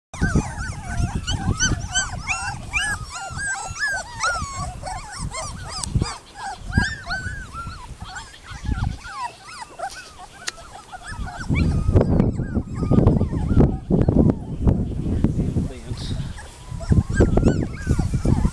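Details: Puppies playing together in a yard, a dense stream of high, bending whimpers and squeaky yips for the first eleven seconds, then fewer cries over heavy thumping and scuffling of paws and bodies.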